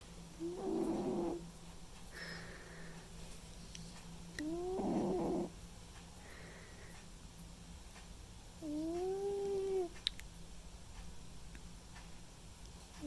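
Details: Sleeping white and ginger male domestic cat snoring; three breathy, tonal snores with a faint arched whistle, spaced about four seconds apart, with quiet gaps between them indoors.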